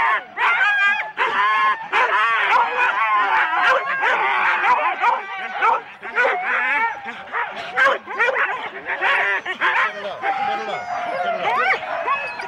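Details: Huskies hitched in four-dog teams at the start of a Rendlesham sled race, January 2016, recorded on cassette; many dogs bark, yelp and whine together in an excited, unbroken clamour, with voices faintly audible.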